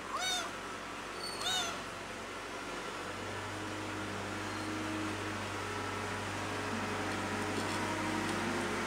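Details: A cat called Pretty cries out to miss its mother: two quick, high, bending meows about a second apart open the recording, followed by several seconds of low mechanical hum without calls.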